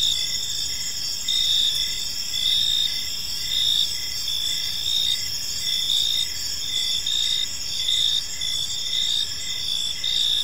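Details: In a calm park at evening, crickets keep up a bright, shrill chorus, with regular short chirps pulsing under sustained high trills and gentle surges in loudness every second or two.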